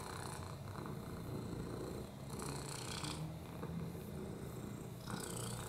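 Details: Oliver the lap cat, a rescue with a broken hip, upper respiratory infections and FIV, purring contentedly: a low buzzing rumble with raspy breath-like surges near the start, middle and end.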